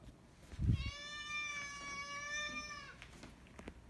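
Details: Domestic cat giving a medium-length meow: one steady, drawn-out tonal cry lasting about two seconds that sags slightly at the end, after a short low thump, in a quiet room.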